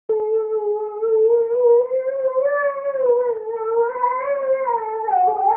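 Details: Siberian Husky singing indoors: one long continuous howl with a wavering, slowly rising and falling pitch and rich overtones, sustained for over five seconds, dipping near the end.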